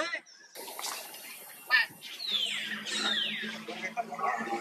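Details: A baby monkey, hurt and struggling to pull away from a forced buddy, gives long descending whines that slide down in pitch one after another, with a steady low hum and scattered noise behind.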